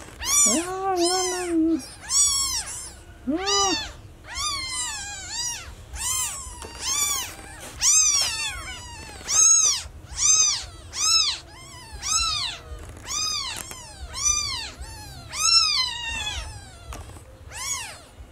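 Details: Newborn kitten meowing loudly for its lost mother: high, arched meows repeated in quick succession, each rising then falling, a few lower meows near the start, over a steady low background hum.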